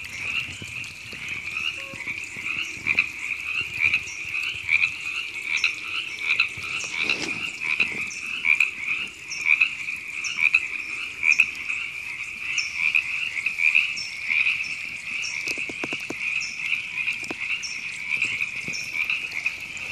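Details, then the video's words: A long frog chorus at Temescal Canyon Park, Los Angeles, California, in April 2017, a constant high buzzy trilling with many overlapping callers, brief sharper chirps scattered throughout and occasional low thumps. "Frogs Ribbits"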